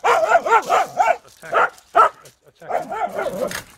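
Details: Welsh terrier in training, attacking its handler's leg: bursts of rapid, harmonic yapping barks, four in quick succession, then two single barks, then a further growly run.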